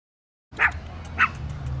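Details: Shih Tzu on vacation, first day in Monterey, California: two sharp, short barks roughly half a second apart, over a steady low rumble like a running vehicle.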